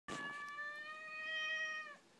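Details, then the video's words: Talkative Siamese cat indoors, complaining and possibly wanting food; one long, steady, flat meow of nearly two seconds with rich harmonics, ending in a slight downward bend. "Talkative talking Siamese Cat"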